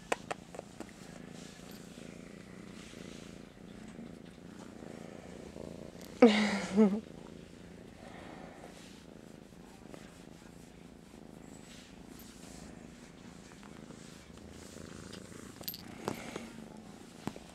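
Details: Pet cat in the morning, groggy, too sleepy to stand and wanting attention, purring profusely: a soft, continuous low rumble pulsing with each breath, broken by a brief loud rustle midway, with a faint gentle voice at times.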